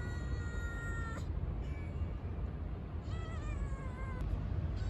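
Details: Stray kitten, newly appeared, calls with a steady high meow, pauses, then gives a shorter wavering cry near the end, all over constant low traffic-like rumble.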